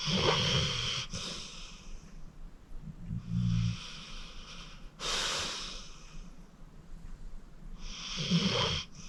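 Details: Acorn, a rescued 14-year-old pit bull, snores heavily while sleeping: loud wheezing, rasping breaths recur every two to three seconds, with low snorting rumbles between them, indoors and quiet.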